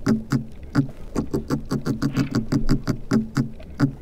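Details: Pigfish, called perche cochon, sounding to mark its territory underwater: a series of short, low, knocking grunts, roughly two per second but unevenly spaced, each with a stacked harmonic buzz.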